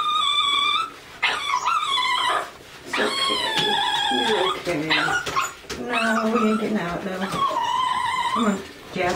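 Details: Lhasa Apso crying during a bath indoors, giving long, wavering, high-pitched whines with rising and falling pitch in four or five extended bursts, while a person keeps reassuring the dog over water sounds.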